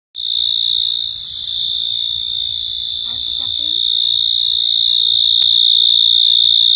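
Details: Cricket calling with a steady, unbroken high-pitched ringing trill that runs the whole time, slightly louder toward the end; a few faint low warbling sounds appear briefly around the middle.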